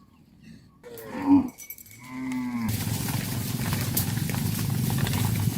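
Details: In the evening a herd of well-fed cattle is herded back to the farm barn; a cow gives a deep, drawn-out moo, followed by a steady rumble of broadband noise. Cow (Bos taurus), moo.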